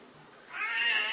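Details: Indoor Siamese cat starting quietly, then swelling into a strong, high, sustained meow that holds steady to the end.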